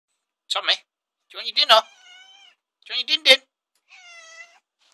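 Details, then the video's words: Pet cat answering a person, who talks between the calls. The cat gives two short, clear meows that are said to sound like "yes", each followed by a person's speech. "Cat says yes"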